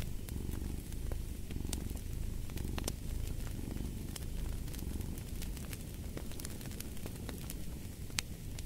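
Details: Domestic cat purring in a low, steady rumble that swells and fades with each breath, partly masked by sharp crackles and pops from a fireplace.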